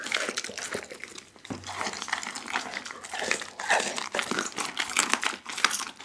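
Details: Dougie, a pit bull, crunches a whole raw chicken indoors, Insta360 ONE R recording: steady crackling and crumpling of bone and skin with bursts of louder snapping, continuous throughout.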